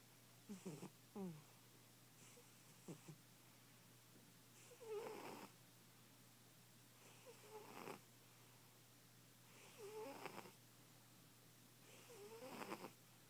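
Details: A fat house cat asleep and snoring loudly. It begins with a few short, irregular snorts, then settles into wheezy breaths roughly every two and a half seconds, with whistled squeaks inside each rasp.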